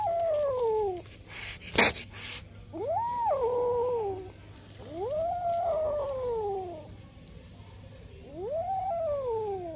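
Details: Two-month-old kitten meowing repeatedly, four drawn-out mewing cries about every two to three seconds, each rising then falling in pitch, with a brief clatter early on and a low steady hum beneath.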